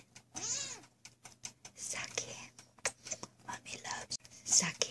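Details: Zucky, a Sphynx kitten, gives a high, thin meow that rises and falls, meowing back "I love you too", followed by a woman's affectionate talk.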